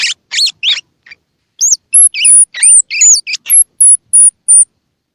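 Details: Baby squirrel sound, used to get young squirrels feeding: a few rough squeaks open, followed by a row of thin, very high whistled notes, each short and evenly spaced, in a quiet setting.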